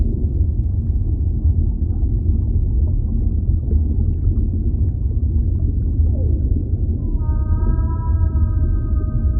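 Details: Whale calling underwater amid a constant deep ocean rumble: faint downward sweeps, then from about seven seconds a steady layered tonal call with several parallel harmonic bands held to the end.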